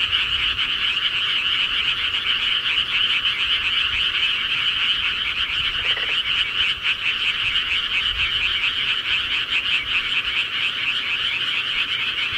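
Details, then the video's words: A rural night chorus of frogs, with dense overlapping rapid croaks holding one steady, shimmering trill throughout and no other clear sounds. "시골개구리 소리"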